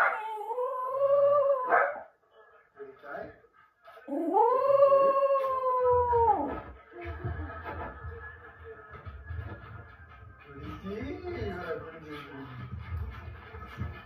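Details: Jack Russell Terrier at home; two long wavering howls, each about two seconds, rising then falling, separated by a brief pause, followed by quieter whining yips and background hum.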